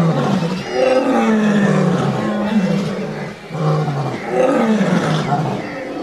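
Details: Lion (Panthera leo), roar: warning other animals.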